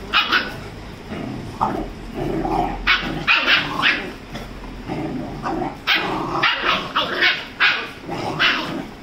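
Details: Rajapalayam puppy, 35 days old, playfully fighting with a Labrador named Dora; short sharp barks and yips come in bursts, some close together, with scuffling noise between them.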